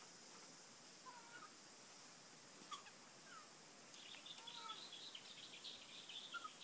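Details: Ring-tailed lemurs in Isalo Park, Madagascar, give brief, faint mewing calls during a territorial clash between two rival clans, over a steady high insect-like hiss.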